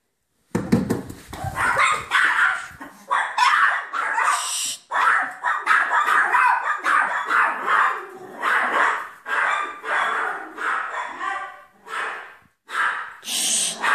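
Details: Miniature poodle barking indoors while a mouse is being chased off, a rapid run of sharp broadband barks in bursts with brief pauses, continuous and loud through most of the stretch.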